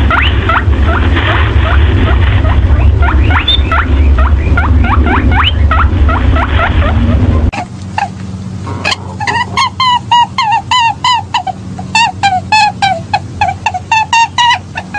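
Young rabbits give rapid, high, thin squeaks, some sweeping upward, over a low background hum.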